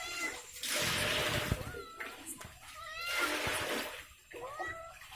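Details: Pet cat Ishu, who suddenly gave birth to kittens, crying out in two drawn-out, wavering meows about two seconds apart, over a hissing, water-like background with a person talking nearby.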